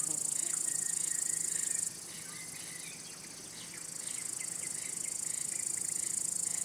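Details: Male cricket producing its song by rubbing its elytra to draw or court females or warn away other males. The piercing high continuous trill breaks off near two seconds and resumes about two seconds later, with soft, irregular chirps throughout.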